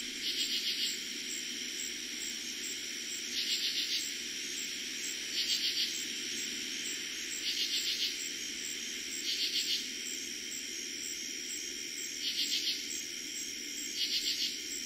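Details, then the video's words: Eastern Pennsylvania katydids calling after dark in early summer 2021: seven clipped raspy bursts of rapid ticks, roughly every two seconds, layered over continuous ringing crickets. "Katydids and Crickets Sounds at night"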